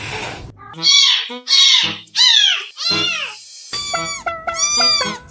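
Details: Domestic cat uttering a quick run of four loud, high, arching meows, followed by steadier, flat-toned sounds overlaid with music.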